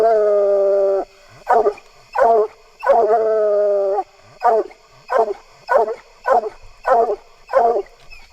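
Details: Bluetick Coonhound voice, a mournful, melodious bawl: two long, steady, harmonic howls lasting about a second each, interleaved with a rapid series of short, clipped barks repeated roughly every half second.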